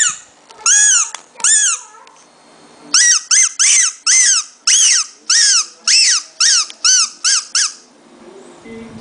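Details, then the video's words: Shih Tzu puppy with a strange noise: shrill, piercing arched whines rising then dropping in pitch, about thirteen in a steady series after two opening cries, in a quiet indoor setting. "puppy shih tzu kawneaw strange noise"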